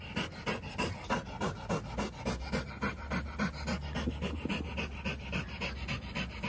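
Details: Samoyed named Whiskey, a puppy, at a dog park with German Shepherd, Labrador and Border Collie companions; rapid, steady, breathy panting, about three to four breaths each second, continuing throughout with a faint low hum beneath.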